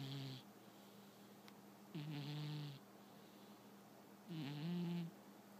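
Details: A sleeping pet cat snoring: two low, raspy, nasal breaths, each just under a second long and about two and a half seconds apart, with a faint hiss riding over the rumble in a quiet room.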